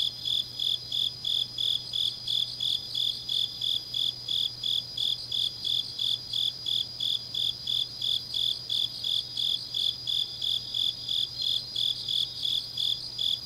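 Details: Deep-night autumn grass insects in Changnyeong, Gyeongsangnam-do, Korea, producing a long run of sharp, regular high chirps about three per second, backed by a constant insect trill slightly higher in pitch and a soft low drone.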